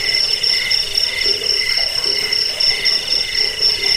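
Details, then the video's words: Rapid high cricket chirps, presented as a rat deterrent, sleep aid and songbird training sound, ring in a constant pulsing train with a weaker lower tone underneath. "Suara jangkik pengusir tikus pengantar tidur"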